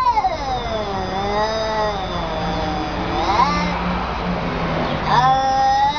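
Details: Wavering, whining cat yowls, slowly bending up and down in pitch, ending in a sharp rising cry, over a faint low engine-like drone.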